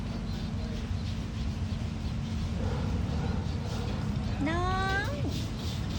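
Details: A cat gives one loud, drawn-out meow with rich stacked harmonics. It rises and then dips slightly near the end, after several seconds of low steady hum and faint background murmur.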